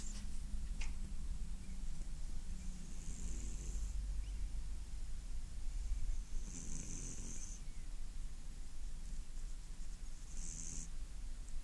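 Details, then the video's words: Domestic cat snoring in its sleep, a hushed breathy rasp returning every few seconds, with one sharp click near the start and a low constant hum beneath. "Котик храпунец"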